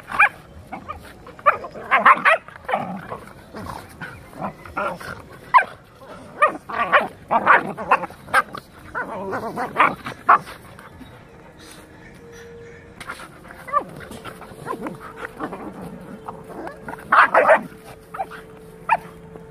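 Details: Labrador puppy and rottweiler in a real fight: harsh barking, snarls and yelps burst out in rapid, irregular clusters throughout, with a steady faint tone running through the middle stretch.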